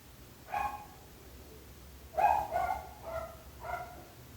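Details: Barking dog next door: one bark, a pause, then a quick series of four harmonic barks, the first of them loudest, over a low hum.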